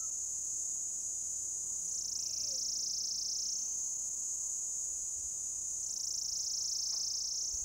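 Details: A rare orange-coloured cicada on a lichen-covered old deodar trunk in a forest at Jabbarkhet, Uttarakhand, India, gives its mating call: a loud, unbroken, high-pitched buzz that sags briefly in pitch every few seconds as its abdomen extends and retracts.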